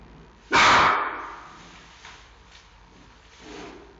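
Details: Giant panda cub Xiao Qi Ji barking at his mother Mei Xiang at the Smithsonian National Zoo in Washington D.C., one loud harsh broadband bark followed by a fading echo, then faint softer sounds.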